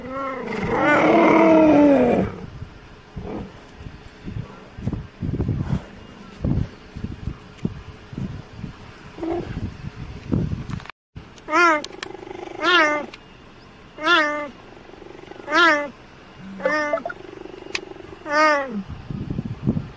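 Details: Cheetah (Acinonyx jubatus), call.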